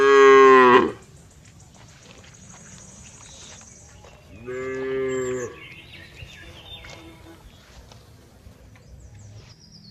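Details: Cow giving a loud, rich moo that breaks off within the first second, followed after a pause by a steadier, softer, lower moo lasting about a second. A low background hum and faint high tones run underneath.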